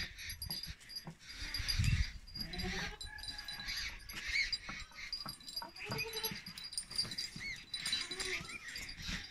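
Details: Pothwari Beetal goats in AJK (Azad Jammu and Kashmir) giving several short, wavering, nasal bleats spaced a few seconds apart, over steady high bird chirping and rustling background noise.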